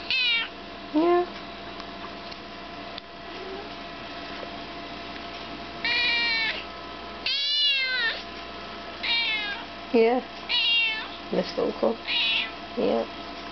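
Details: Pepper, a 5-month-old chocolate point Siamese kitten, being vocal indoors: a run of loud, wavering meows, some rising then falling, others short and clipped, bunching into quick bursts toward the end, with a person murmuring softly in between.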